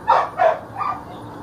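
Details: Single Belgian Malinois in attack training, handler telling it to drop: two quick hoarse barks followed by a softer third, all within about a second.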